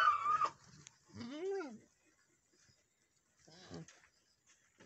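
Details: Boer goat on a farm in Nepal, where a first-time doe has just given birth to a male kid; a single wavering bleat that rises and falls, with brief rustling and muffled noises before and after.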